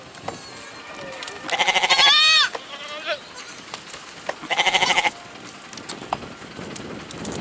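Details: Goat calling with a long, rising, strained bleat followed by a shorter pulsed one, with soft knocks and rustling between calls.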